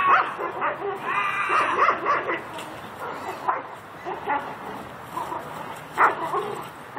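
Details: Belgian Malinois during hard bite-sleeve training: high whining yelps and sharp barks come in irregular bursts, amid handler commands and a noisy outdoor background.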